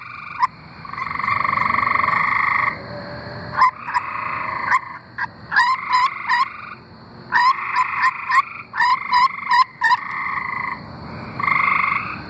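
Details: Arkansas tree frogs in full chorus, with drawn-out pulsing trills broken by clusters of short, rapid notes, callers alternating and overlapping in irregular bouts.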